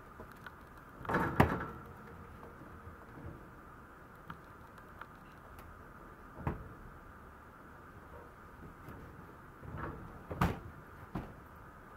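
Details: A quiet room with a few soft knocks and thumps, like a door or cupboard moving, and a faint hum; no animal voice is heard.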